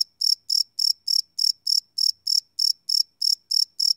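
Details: Crickets chirping at night, recorded live with a Sony PCM D100 field recorder: a steady series of high, pulsed chirps, about three or four per second, each a short bright burst with nothing else audible.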